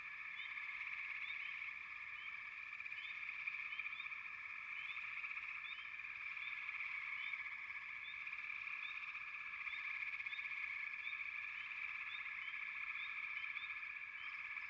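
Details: Frogs in a dense, unbroken chorus: a steady rasping band of overlapping calls throughout, with brief higher chirps scattered over it every second or so.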